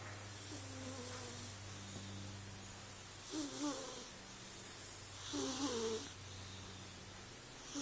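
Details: Sleeping female Bombay cat, dreaming, lets out two short rasping snores with a faint tonal edge about two seconds apart, over a steady low hum.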